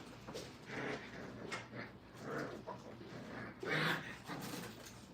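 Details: Five-week-old Brittany puppies, formerly called Brittany Spaniels, indoors during crate training, licking and biting everything: brief soft whimpers and yelps scattered through the clip, one louder tonal yelp near the end, over rustling and chewing noise.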